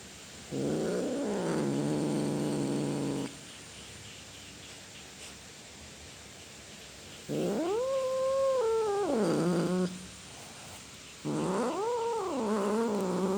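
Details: Domestic cat yowling in long tonal meows: one held low wail, then a loud arching meow rising and falling, and a third rising call; quiet hum between calls.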